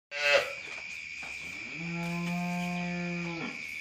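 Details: A recently calved Jersey cow lowing: one steady, drawn-out, deep moo of about a second and a half, rich in harmonics, after a brief louder knock at the start. A constant high whine runs through the whole recording.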